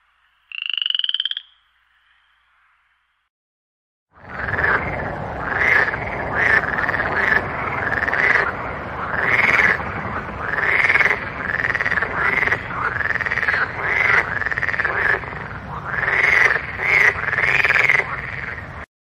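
Frogs croak in a steady chorus of raspy, overlapping calls, several each second.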